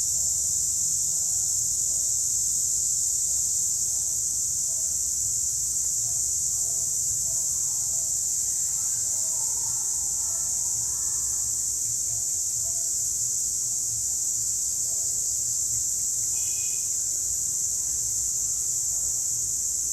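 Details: A group of cicadas sings in the daytime in the wild, a steady, high-pitched, hissing drone that never lets up.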